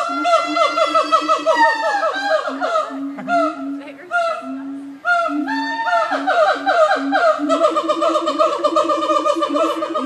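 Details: Siamang apes calling loudly at the Nashville Zoo, a continuous chorus of rapid, ringing barks and swooping hoots overlapping almost without pause.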